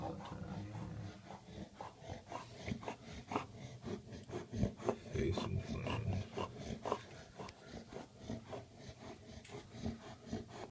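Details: Bulldog breaking out in hives after a bee sting, breathing in rapid, uneven pants with snorting, wheezy edges, close to the microphone indoors, a voice faintly in the background.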